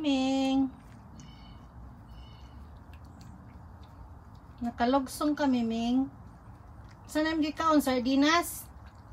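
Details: Gingeroo, a ginger pet cat, meows indoors: one steady meow at the start, then after a quiet pause two bursts of bending, wavering meows close together near the end.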